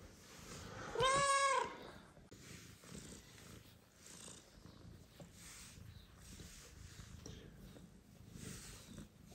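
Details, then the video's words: Single loud, clear meow from a mother cat requesting petting in a room where her newborn and adopted kittens sleep, then a long stretch of quiet with faint rustling. "Mother cat meows loudly and asks to be petted while newborn kittens sleep"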